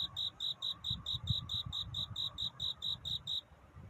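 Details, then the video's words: Night courtship song of a cricket near dawn: regular high chirps several per second that stop shortly before the end, over a low rumbling background. "편안한 잠을 부르는 귀뚜라미 울음소리. 슬퍼 말아요 우는 것이 아니라 사랑을 찾는 노래랍니다"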